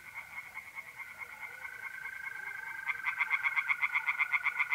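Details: Tree frogs singing in a pond on an April night in north-east Italy: rapid, evenly pulsed calls around four per second that grow louder near the end, over a steady high trill of mole crickets.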